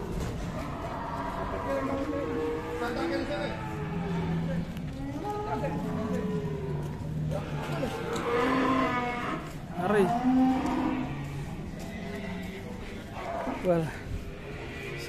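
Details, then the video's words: Aggressive cow arriving at an Indonesian cattle farm: several drawn-out, harmonic moos that bend and wobble in pitch, with people talking over and between them. "AWAS SAPI GALAK DATANG"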